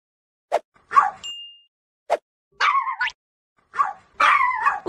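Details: Pet dog, one of a household that includes a Pomeranian, Bichon and black-and-tan Pomeranian, barks in short sharp yips and whiny harmonic bursts about once every one to two seconds, with an owner nearby scolding it away from grass.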